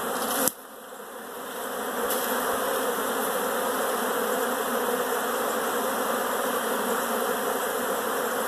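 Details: Many honey bees inside a house: a dense, steady drone of buzzing with a sharp click near the start; finding: Western honey bee.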